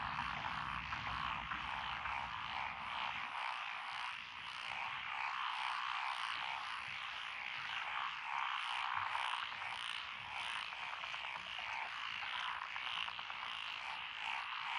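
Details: Frog chorus in lotus rice paddies beside a rural road in Echizen, Fukui, Japan, June 2021: dense overlapping rattling croaks throughout, with a low rumble in the first three seconds that then fades.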